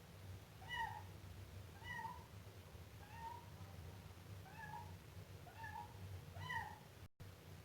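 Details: Siamese kitten calling in a run of about seven short meows, fairly regular and similar in shape, over a low hum, with a brief dropout near the end.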